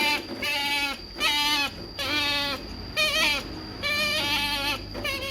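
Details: Pet otter getting salmon, worked up before eating, calling in rapid bleat-like whines, each ending in a sharper high cry and coming about once a second; a faint constant high tone in the room.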